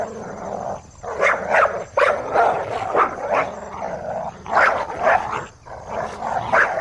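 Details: Dog barking in a dense, continuous run of rough, overlapping barks mixed with throaty growling tones, with barely any pauses over nearly seven seconds.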